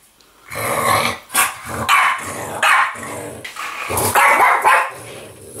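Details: A French Bulldog gives rough, rumbling growls in bursts while play fighting with an interactive Yoda toy.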